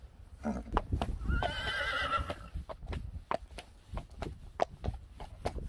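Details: Friesian horse from a herd of 25 Friesians giving one wavering, quavering whinny of about a second, over a steady clip-clop of hooves.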